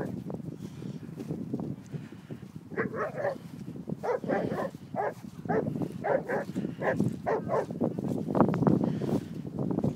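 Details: Two Irish Setters, one two and a half years old and one six months old, playing together; short harmonic growling grunts come in rapid irregular bursts, strongest between three and seven seconds, over low rumbling movement noise.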